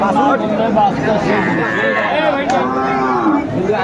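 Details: Dairy cow with calf at Aftabganj livestock market, Dinajpur, 25 August 2024, lowing in two long, rich moos, one running straight into the next, over the constant chatter and bustle of the market crowd.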